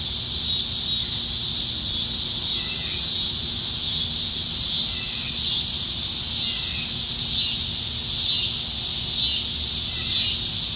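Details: Cicadas in the trees on a Nebraska summer evening, July 2019, forming a dense, steady high-pitched hiss that throbs softly, with a few faint short chirps sounding lower down.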